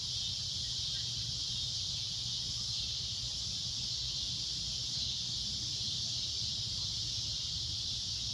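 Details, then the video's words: Sunset cicada drone: an intense, shrill, constant high-pitched buzz running the whole time, over quiet low-frequency background noise. "Cicada A Loud Shrill Droning Noise"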